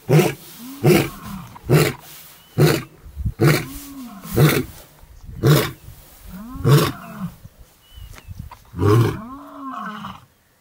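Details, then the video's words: Male lion in the Maasai Mara, Kenya, near the Tanzania border, roaring in the morning: a run of about ten deep grunting roars close together, some with drawn, moaning rises and falls, then fading into quieter grunts. "ROAR! Ormagilani, Musketeers legacy, Paradise boy, Maasai Mara lions"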